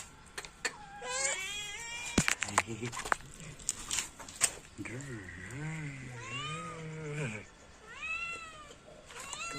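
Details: Domestic cat meowing in several drawn-out, arching calls, mixed with people talking, sharp taps and clicks in an indoor setting.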